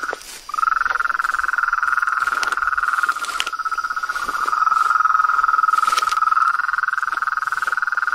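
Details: A chorus of frogs, toads and treefrogs in nature. After a brief quiet start, a shrill, continuous trill rises and stays steady to the end, with a few faint clicks over it.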